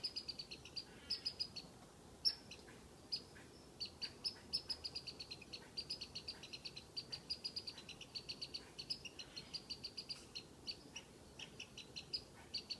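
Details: Squirrel up a tree, whistling to tease a cat: sharp high chirps in quick pairs and short runs, repeated steadily for the whole stretch, over faint low background rumble.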